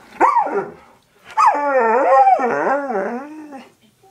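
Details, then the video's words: An Alaskan Malamute puppy barking at its owner to be let out gives a short, arched yelp, then a long, wavering, talkative howl. "Alaskan malamute bark / howling"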